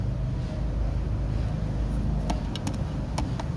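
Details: Steady low rumble like a passing vehicle, with a few brief sharp clicks near the end and no animal calls.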